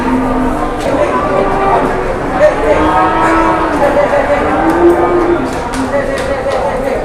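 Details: Jumbo cattle brought around for sale, several long low tonal moos rising and falling through the clip, buried in continuous crowd chatter and background noise.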